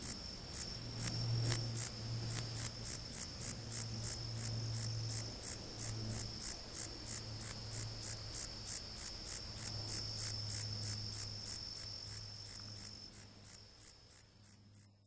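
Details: A Conocephalus gladiatus katydid sings a long series of crisp, high, buzzy pulses, close to four each second, fading slightly at the end, with a low droning hum behind.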